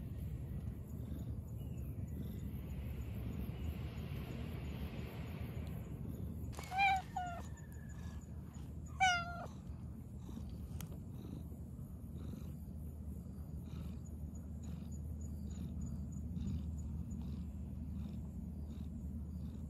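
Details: Black stray cat chatting while out on a walk: two short, bending meows roughly two seconds apart, set against a steady low outdoor rumble.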